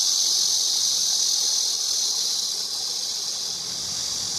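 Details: A cicada sings a constant high, hissing drone that dips slightly in loudness near the end, otherwise unbroken; nothing else stands out.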